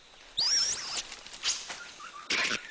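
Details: Red colobus in a mixed-species monkey group in forest: on spotting a snake, it gives its snake alarm call, a high, squealing call that rises and wavers, followed by sharp bursts.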